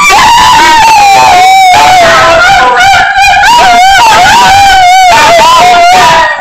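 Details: Two pet dogs, Dorfen and Myssli, howling while missing a friend on a Skype call; loud, sustained, wavering howls with overlapping voices that rise and fall continuously, briefly breaking off around the third second, very close and slightly distorted.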